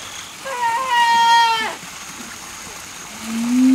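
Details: Siamang pair practising their song in a zoo in Turin, Asia section, the male's throat sac swelling; a loud rising-then-falling hooting note with rich overtones, then a rising whoop begins at the end.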